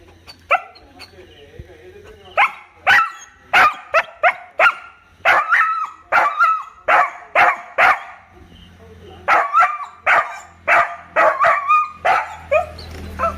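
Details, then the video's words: A dog gives a long run of sharp, ringing barks, mostly single and then in quick doublets, about one to two per second, over a low steady hum. "the sound of him barking"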